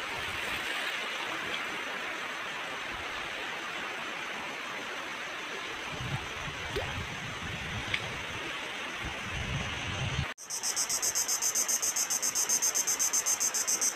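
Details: On an island, crickets chirp in a steady, high, pulsing trill after a long stretch of rushing sea waves.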